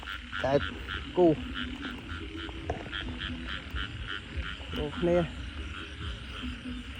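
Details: Frogs at night after heavy rain, loud pulsed croaks in short bursts about a second apart, then again after a pause, over a constant background chorus of frogs and quiet voices.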